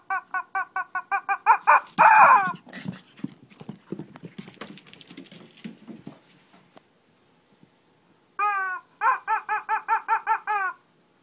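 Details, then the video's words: Shih Tzu in Kochi, Japan, in a playful mini fight indoors: runs of short, high, harmonic yaps and yelps, a louder strained burst near two seconds, scuffling and panting, then a quiet gap before another quick series of yips. "Shih Tzu kochi japan new [mini] fight !"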